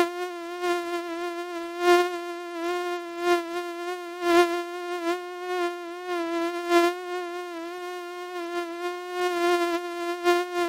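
A mosquito's thin, steady, high-pitched whine, wavering slightly as it flies close.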